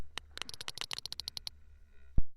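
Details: A sperm whale coda, recorded in Dominica's sperm whale sanctuary where two whales exchanged calls: a quick, evenly spaced series of sharp clicks, like tapped Morse code.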